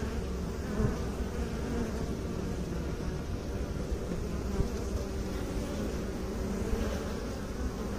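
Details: Honey bees, filmed by beekeepers, giving a steady low droning hum, dense and continuous with faint banded overtones and no breaks.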